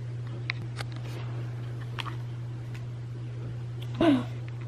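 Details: Butters, a pet cat, full of energy during after-poop zoomies indoors, gives one short, rising-then-falling meow near the end, after a few soft taps and rustles, over a steady low electrical hum.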